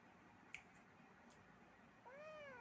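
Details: Playful kitten in a small indoor room gives a short, quiet meow near the end, rising then falling in pitch and cut off; before it there is a soft click and low room hiss.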